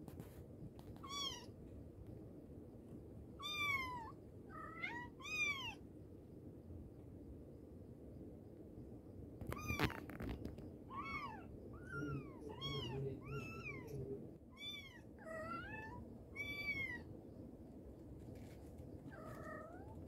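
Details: Mother cat calling her kittens: repeated arched meows come in bursts, some doubled or tripled, with a quiet gap near the middle and a faint thump, then a fast run of high calls toward the end.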